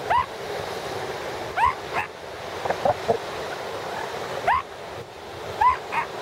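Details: Northern elephant seal mother bonding with her brand new pup at Piedras Blancas Rookery, San Simeon, California, 5 January 2013. Short rising squealing calls with bright harmonics come roughly every one to two seconds over steady surf noise.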